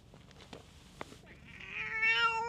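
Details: Stray street cat picking fights with the other cats nearby lets out a short rising meow at the end, preceded by soft shuffling and clicks.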